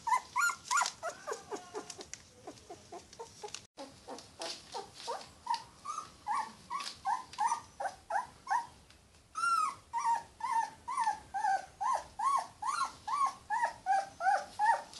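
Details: A Yorkshire Terrier puppy cries with a jumbled burst of yelping whimpers, then a steady chain of arched whines roughly two per second. The whines sink slightly in pitch toward the end.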